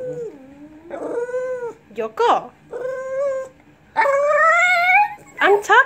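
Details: A Lhasa Apso "talks" in drawn-out, wavering whines and yowls that rise and fall in pitch.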